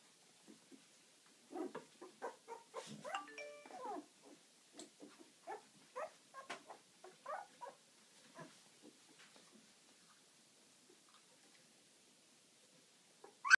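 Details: Eleven-day-old puppies of Ziva, indoors and moving around actively, give a run of short, high squeaky whimpers and yips in scattered bursts over the first eight seconds, then fall mostly quiet with a few soft peeps.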